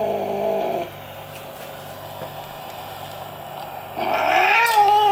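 A furious domestic cat gives a drawn-out, wavering yowl, then a rising growl that breaks into a harsh hiss.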